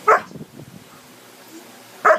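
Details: A seven-month-old male Alaskan Malamute 'talks' with two short, harmonic woo-like yelps while a person says 'no', scolding him for biting.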